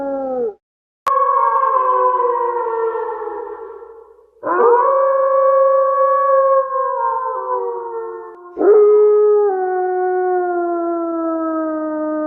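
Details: Wolf howling: three long, clean howls, each starting with a sharp upward slide, then holding a steady tone before sagging slowly lower, with short gaps between and no other sound.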